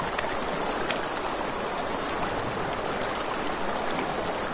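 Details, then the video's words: High, rapidly pulsing chirps from crickets at night near a river, continuous and even, layered over broadband river rush and a few soft campfire crackles. "Campfire by the River at Night Ambience | 1 Hour of Crackling Fire, Crickets, Ambient Nature Sounds"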